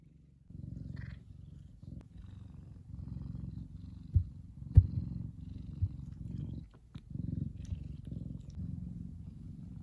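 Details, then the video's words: Kumba, a big F2 Savannah cat, purrs contentedly as he basks in sunshine; soft low continuous rumble with a few sharp clicks and knocks, quiet room otherwise. "Big Savannah Cat Relaxing And Purring."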